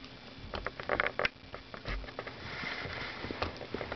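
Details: During the Christmas holidays a female dachshund works at her new rawhide bone, making clustered crackling bites and soft scraping gnaws that fade into a quieter, smoother grinding stretch.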